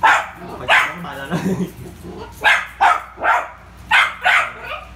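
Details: Poodle named Rio playing with a ball, giving six sharp, bright barks in two bursts, the first three spaced about a second apart, then a tighter run of three, with a low human voice murmuring between them.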